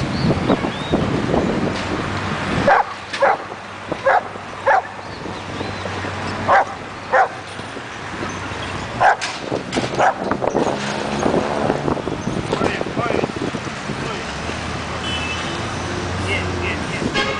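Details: Pit bull named Ruffo in protection training with Grupo Alfa Lanús, starting to bite the sleeve; loud sharp barks come in bursts, several in quick succession around the middle, with background noise and a low hum.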